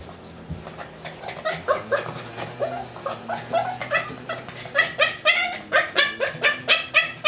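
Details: Boston Terrier frustrated when his ball rolls out of reach, giving rapid, irregular yips and whimpering barks, about two a second, growing louder and more insistent toward the end.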